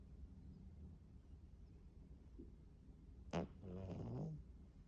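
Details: Sleeping foster cat lying faceplanted, snoring softly: mostly quiet breathing for three seconds, then a sharp snort followed by a rough, rattling snore lasting about a second.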